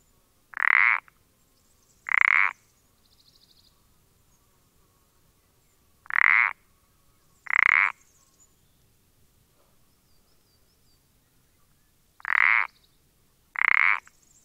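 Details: Common parsley frog, dated 14-04-20, steadily repeating creaky croaks: six short rasping notes in three pairs, about 1.5 seconds apart within pairs and several seconds between pairs, with faint high chirping at times.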